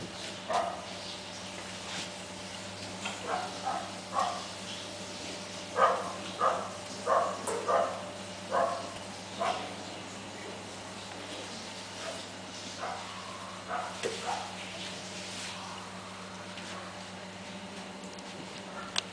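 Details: Welsh Corgi puppies, five weeks old, play-fighting and getting into mischief. They make soft, thin yips in short irregular runs, louder through the middle and fading later, over a steady low hum.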